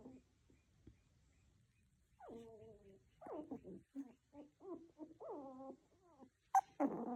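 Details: Tiny poodle puppies whining and yelping: a string of short, squeaky, falling whimpers and nasal squeals, some with stacked harmonics, ending in a sharp higher yelp and a louder rough cry.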